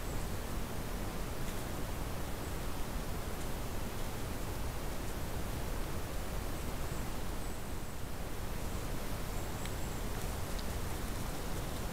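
Steady broadband hiss and low rumble with no clear animal sound.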